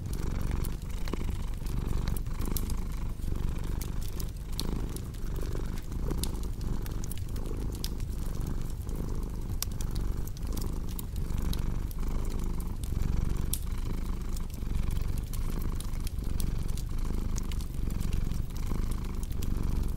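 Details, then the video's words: Long, even purr of a cat, a deep vibrating hum rising and falling in regular breath cycles, with frequent bright crackles and pops of a fireplace throughout. "Purring Cat with Cozy Crackling Fireplace Sound"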